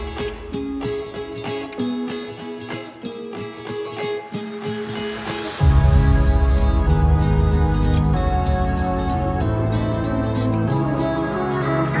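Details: No animal sound, only steady instrumental music with soft plucked notes that swell into a fuller, louder arrangement halfway through.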